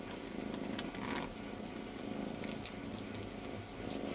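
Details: Young kitten purring while licking his brother's ear in place of his absent mother: a steady low, vibrating drone with scattered soft clicks of licking close to the recorder.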